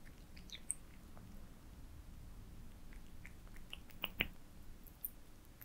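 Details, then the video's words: Pet cats feeding on minced meat towers in a small room, close ASMR recording: soft irregular lip smacks and chewing clicks, with two sharper bites near the four-second mark, over a faint low hum. "Cats eating minced meat towers asmr"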